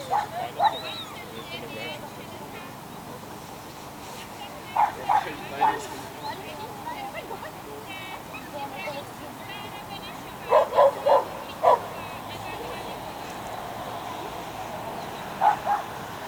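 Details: Schipperke dog at an unofficial agility competition in Měchenice, 27 November 2016; short sharp barks come singly and in quick bursts of three or four, spaced through the recording, over steady crowd murmur and voices.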